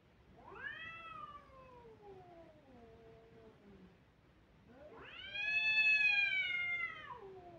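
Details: Crying kittens give two clear, loud meows, each sweeping sharply up and then gliding down over about two seconds, the second fuller and stronger.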